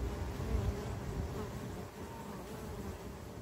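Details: Urban honey bee colony in Ontario, 2024: a low, rumbling drone of many buzzing bees, loudest at the start, then easing slightly but continuing without pause.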